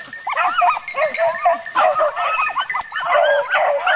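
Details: Dogs training on wild boar, a dense overlapping chorus of high, bending yelps and barks running continuously, several voices at once, with faint human voices beneath.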